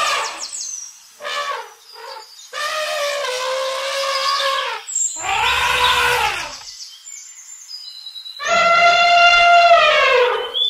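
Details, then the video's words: Several elephant trumpet calls: short squeaky bursts, then long rough blares of two seconds or more with dense harmonics, ending in a bright, steady trumpet. "Elephant sound to learn trumpeting,rumbling and roaring sound effects of elephants"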